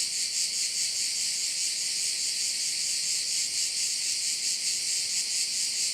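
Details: Korčula bay in Croatia with crickets: unbroken high, shimmering buzz that swells and fades in quick regular pulses, nothing else audible.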